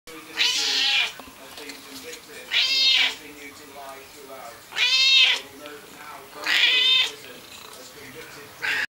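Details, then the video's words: Noisy domestic cat giving loud, drawn-out meows, four strong wailing calls spaced about two seconds apart and a short fifth cut off at the end, over quiet room background. "Noisy Cat"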